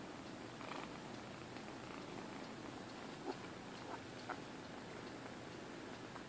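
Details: Three rescued kittens about six or seven weeks old, indoors in Alturas, California, purring before going for their shots: a faint, steady low rumble with fine rapid pulsing, holding throughout, with a few soft clicks of handling.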